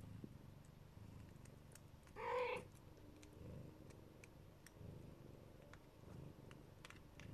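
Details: Siberian or Neva Masquerade mother with her kittens: one clear, rising meow in the middle over a quiet low purr, with faint scattered clicks in the background.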